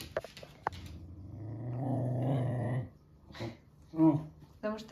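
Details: Nursing Pembroke Welsh Corgi mother, indoors with her 10-day-old puppies, growling as a harmless warning when they irritate her. A low rumbling growl of over a second, with a woman speaking and brief squeaky sounds around it.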